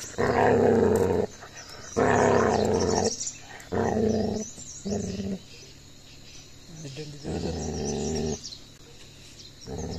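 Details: Gaddi dog puppy in an aggressive attack on another dog: several deep, rasping growls, the first two loudest, then shorter ones with a quieter stretch before a final growl.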